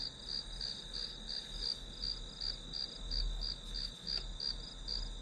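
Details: Grass insects calling as study background: high chirps in quick, slightly uneven pulses about three a second over a steady shrill tone, with a low rumbling hum beneath.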